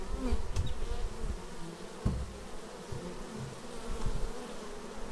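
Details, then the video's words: Worker bees flying in to a beehive, caught on a Xiaomi Yi action camera: a continuous low droning hum that rises and falls, broken by a few brief clicks and taps. "Bees arriving at hive"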